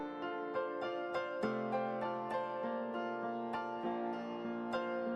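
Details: Gentle piano music with soft repeated chords and single bright notes fills the short passage, with no animal sound present.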